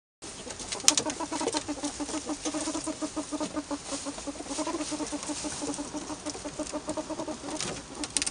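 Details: Pet albino ferrets in a home give a rapid run of soft, low clucking pulses, repeated several times a second in bursts across the whole stretch, with light rustling and scratching behind.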